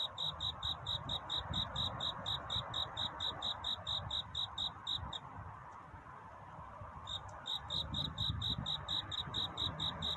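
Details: Courting cricket at night before dawn gives rapid, regular high chirps that stop for about two seconds midway and then resume, with a steady low rumble and hiss underneath.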